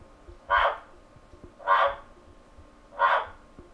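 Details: A male giant waxy monkey frog (Phyllomedusa bicolor), kept in London, calls to attract a female, giving short, harsh clucking notes about every 1.25 seconds; recorded on a computer microphone.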